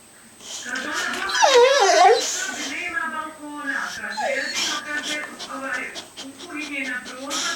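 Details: Rocky, a two-year-old pet boxer dog, whines because he wants to draw. A high, wavering whine swoops up and down, followed by softer vocal moans. A person keeps talking to him, saying he can't draw, and faint music plays.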